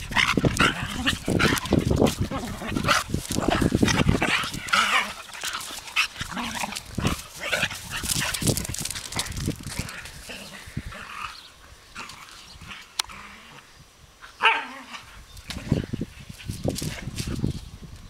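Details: Dogs Vicky and Ayla, two named pets, in a noisy burst of rough barks and scuffling growls, loudest in the first few seconds, then sparser sharp yaps with quieter gaps toward the end.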